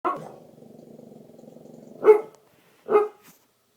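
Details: Pet bulldog snoring indoors: a drawn-out, rattling, buzzy breath lasting about two seconds, then two short, loud snorting bursts close together, with silence between them.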